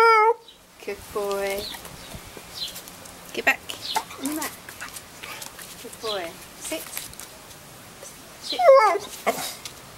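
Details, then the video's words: Buster, a Staffy cross dog, learning to cry on cue indoors: high, tonal whines with stacked harmonics at the start, a lower wavering whine after one second, and a rising-falling whimper near the end, over steady praise from a person. "Buster Staffy x Learning to cry on cue"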